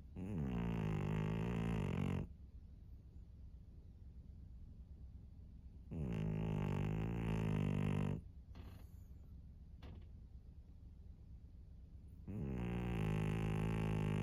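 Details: Senior pug Maria, a 13-year-old fawn female in Japan, snores steadily: deep, vibrating two-second drones recur about every six seconds, with soft breathing and a few faint clicks between them.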